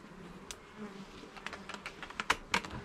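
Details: Honey bees humming at an opened hive during a garden inspection of its levels and frames; a low steady drone sits under sharp clicks and knocks from frames being handled, with the loudest taps near the end.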